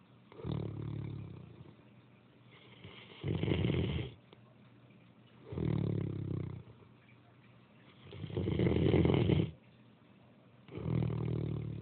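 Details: Snoring Great Dane, a rough low rasping rumble repeated about every two to three seconds, alternating louder and softer breaths in a steady sleeping rhythm.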